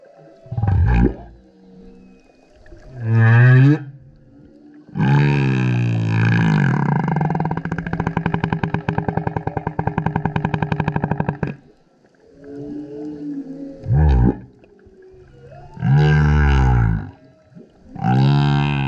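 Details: Male humpback whale singing very loudly while surfacing repeatedly beside a kayak: deep grunting burps and low moans, a long buzzy pulsed roar lasting several seconds, then rising howling tones separated by short pauses.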